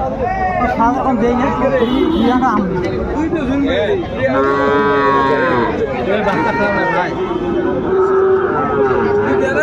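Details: At Ambari market in Dinajpur on 28 March 2025, Sahiwal bull calves low in drawn-out, level moos, several in turn, over a dense backdrop of talking buyers and sellers.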